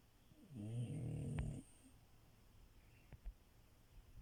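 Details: Snoring French Bulldog Milo asleep in bed, a single deep buzzing inhale snore of about a second, followed by quiet breathing and faint clicks.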